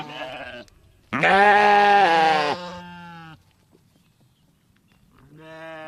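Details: Sheep baaing as a sound effect: a long, loud, wavering bleat rich in harmonics, framed by shorter, softer bleats before and after, with quiet gaps between calls.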